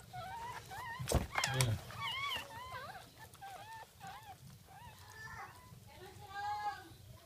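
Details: Jack Russell Terrier whelping its second litter, 17 October 2014, 5:35 am; a burst of loud broadband noise and voices early on, then repeated high curving squeals and whimpers over a steady low hum.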